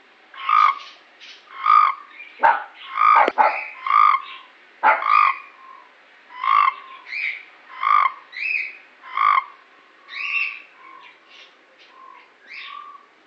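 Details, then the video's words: Frogs in Cape Town croaking: a steady series of about fifteen short, harmonic, nasal croaks, each under half a second, following one another roughly every second, with a couple of sharp clicks mixed in. "Cape Town frogs croaking."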